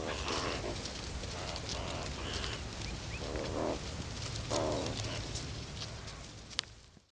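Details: A meerkat group gives harsh, noisy bursts of calling as it aggressively attacks and scent-marks over the trail of a Cape cobra, a deadly venomous predator seen shortly before.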